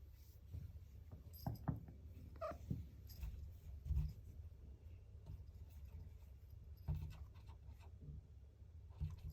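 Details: Male Ragamuffin red tabby kitten named TiEL, born 2021 in Japan, wanting to get into a room: a few short harmonic meows near the start, set against a steady low indoor hum with soft knocks and shuffling.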